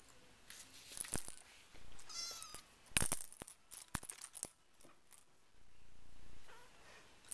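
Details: RagaMuffin kitten, four weeks old, from the Winter Wonderland litter, gives one brief high meow amid sharp clicks and handling knocks, with soft rustling around it.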